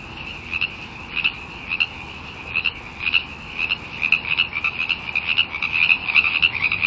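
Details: Frogs calling wildly together: a continuous high chorus with loud, rapid, irregular chirping notes stacking up, growing denser and faster toward the end.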